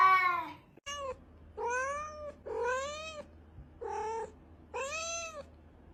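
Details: Cat meows meant to make cats come over: six short, arching mews of varying length in quick succession, fairly soft, with a faint low hum underneath.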